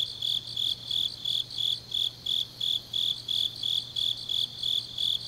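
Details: Grass insects singing on a deep autumn night in Changnyeong, South Gyeongsang, Korea: a high, steady chirping repeated about three times a second in regular pulses, with a faint low hum underneath.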